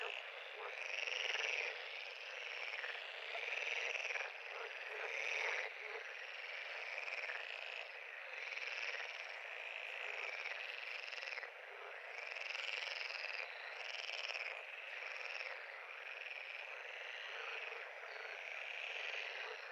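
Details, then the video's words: Frogs at a pond in a dense, unbroken chorus of overlapping rattling trills, pulsing in loudness every few seconds, with higher whistled notes surfacing now and then near the start; no other sounds stand out. "Frog pond- Sound Effect"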